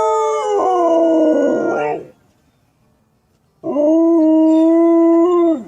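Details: Loud dog howls: a rough, wavering howl lasting about two seconds, silence, then a clearer sustained tonal howl that holds steady and drops at the end.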